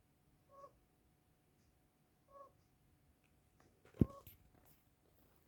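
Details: Sleeping pet African pygmy hedgehog snoring indoors, which it does not usually do; faint soft snore pulses about every two seconds in a quiet room, with a sharp click near the end.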